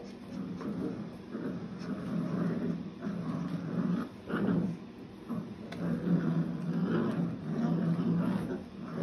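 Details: Nine Old English Sheepdog puppies, seven weeks old, tugging on tug toys for the first time. Low, rough growling bursts rise and fall irregularly, with brief whimpery notes and steady scuffling beneath.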